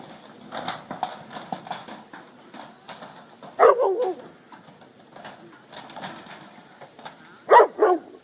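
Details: Goat kids playing in their pen while the mothers are out eating: a series of short bleats, with two louder, wavering cries near four and seven and a half seconds amid scuffling.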